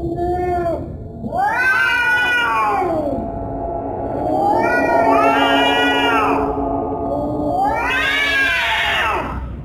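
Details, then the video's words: Cat giving scary, drawn-out meows: three long, wavering, harmonic-rich yowls that rise and then fall, each lasting two to three seconds, with a short lower meow at the start and a steady low hum underneath. "Scary cat sounds"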